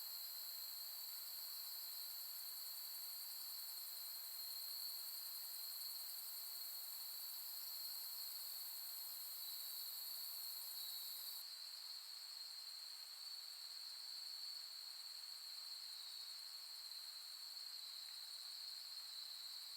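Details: Autumn insects on a late-summer night, end of August 2021, Soni Highland, Nara, Japan: long continuous high shrill chorus in layered bands, the uppermost voice dropping out partway through while the lower trills carry on evenly.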